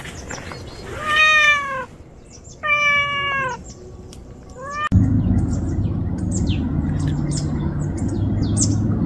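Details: Stray cat living in a rubbish pile with a mother and her orange kittens; two loud, drawn-out meows with rich stacked harmonics, each about a second long and slightly falling, then steady low rumbling background noise with faint high chirps.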